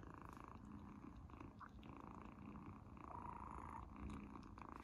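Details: Izzy, a kitten eating a treat for the first time, purrs steadily and loudly throughout, a continuous low rumbling buzz with faint eating noises mixed in, indoors.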